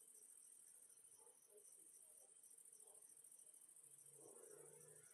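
Crickets chirp in a steady, high-pitched, pulsing chorus that hardly pauses.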